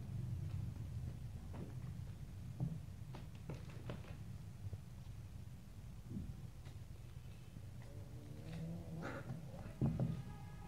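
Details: Little stray kittens playing and fighting each other: soft scuffles and thumps of pouncing, then a short harmonic meow-like cry near the end over a steady low room hum.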